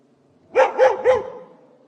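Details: Three strong, evenly spaced barks from a fierce yard dog. Each is a short, harsh woof with a bent, arching tone, and the run is over within a second.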